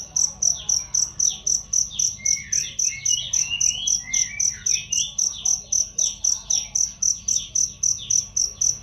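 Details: Cricket chirping as a master training sound for songbirds, loud and clear: high, steady pulsed chirps repeated nearly four times a second, with other birds' twittering and sliding whistles in the background.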